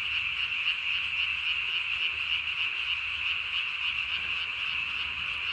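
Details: Calling Japanese tree frog, night recording from 3 May 2020, vocal sac under the chin blown up to body size; continuous quick-pulsed, buzzy croaks at a steady high pitch and volume.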